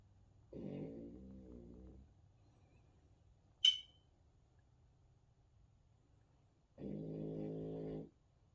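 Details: Sleeping French Bulldog snoring: a wavering, nasal rasp lasting over a second, a silent gap broken by one brief click, then a second steady snore of similar length.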